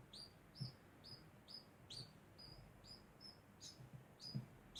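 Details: Degu making a constant sound: short, high, slightly downward-bending chirps repeated rapidly, about two or more per second, with soft low thumps underneath in a small quiet room.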